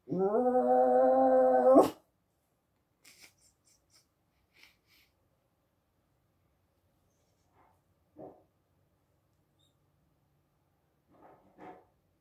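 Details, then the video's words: Chihuahua Dachshund mix (Chaweenie) dog giving one steady howl of about two seconds that ends abruptly, followed by quiet scattered clicks and light tapping sounds in a small room. "Chaweenie (Chihuahua Dachshund mix) Howl 2"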